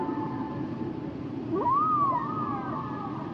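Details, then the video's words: Humpback whale song: a smooth tonal unit sweeps steeply upward, arches, then glides slowly down, while a steady higher tone is held alongside, all over a constant hiss of underwater background noise. "Sounds and Songs Of The Humpback Whales"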